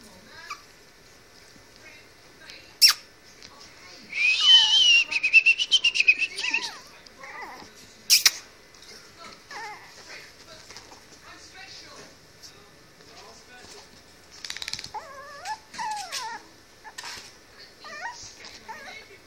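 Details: Three female Chihuahua puppies playing indoors after a bath; scattered high squeaky yelps and whines, with a dense burst of rapid squeaks midway, sharp clicks, and faint human voices.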